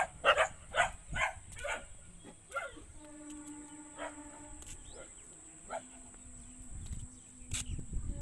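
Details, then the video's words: Dog barking in a quick run of sharp, harsh barks over the first two seconds, followed by scattered single barks and a few sustained tonal sounds, with a steady high background hiss. "dogs barking"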